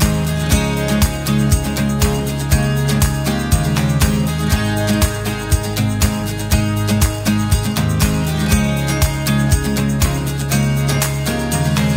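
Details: Steady country-style acoustic guitar music with strummed chords and a regular beat about once a second, with no animal sounds.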